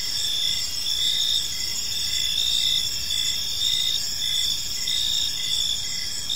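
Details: Gentle cricket chirping fills a serene park in the evening, bright shrill trills holding steady while rhythmic short pulses repeat throughout, over faint background rumble.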